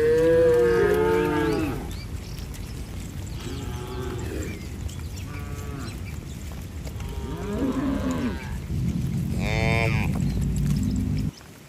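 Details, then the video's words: Tame cattle running toward their barn during rain with sunny weather: a long, loud harmonic moo opens, then shorter, fainter lows follow at intervals over steady broadband rain-like background noise. "Suara sapi Moo"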